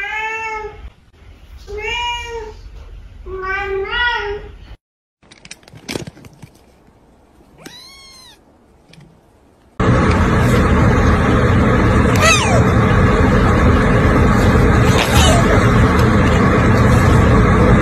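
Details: Cat meowing: three clear, rising-falling harmonic meows in the first five seconds, then a couple of fainter calls, followed by loud broadband music and noise for the second half.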